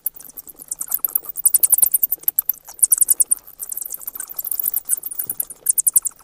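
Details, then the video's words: Bats squeaking in quick trains of sharp, very high clicks, several loud runs close together with softer twittering beneath. "เสียงค้างคาว Bat sounds"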